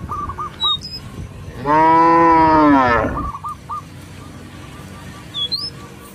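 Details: Roaming village cattle calling companions home to the pen: a single strong, even moo lasting over a second, with short repeated bird notes before and after.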